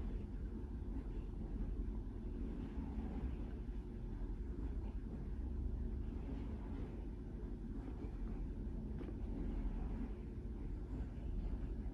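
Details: Steady low household rumble from a running dishwasher and a truck passing outside, with no animal voice heard.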